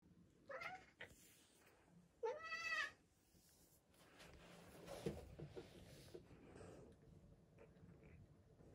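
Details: Cat in a trash bin giving two meows, the second a longer rising-falling wail, followed by rustling and muffled knocking noises.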